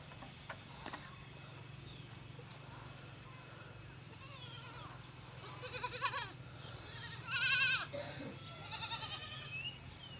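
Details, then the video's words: Mother goat kept with her four kids; brief wavering, nasal bleats around six and seven and a half seconds, the second loudest, over a steady low hum and faint scattered noises. "BAKRI kiawaaz"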